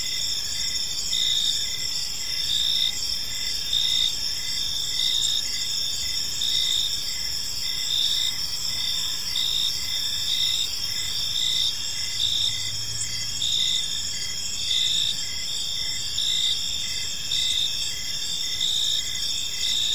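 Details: Evening crickets in a park chirping in an even, looping rhythm near one pulse per second over a dense high-pitched trill, with a brief low rumble midway.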